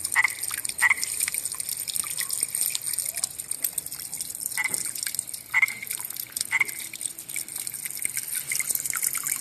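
A common tree frog gives short, sharp clicking notes about once a second over a hissing night chorus.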